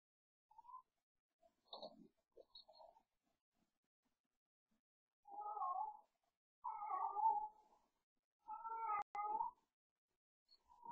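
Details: Cooper, a pet cat, yowling at night while playing after the household goes to bed, as he does almost every night; drawn-out wavering mid-pitched yowls in three long bursts after a few shorter calls, with a sharp knock near the end.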